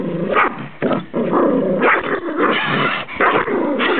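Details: Arby, a Rhodesian Ridgeback rescue dog, growls and snarls in play with his favourite toy, loud rough rumbling bursts separated by short pauses, repeated over four seconds.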